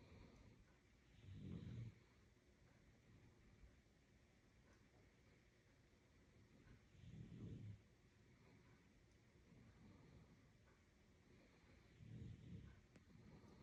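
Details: Sleeping pet dog snoring: three low, rumbling snores, each lasting about a second and coming roughly every five seconds, with quiet gaps between them and a faint, steady background hum.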